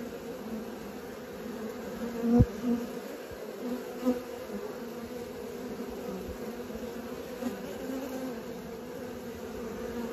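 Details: Many honey bees learning to fly make a full, steady wing drone, louder than before, broken early by several sharp bumps and close fly-past swells, then settling into an even hum.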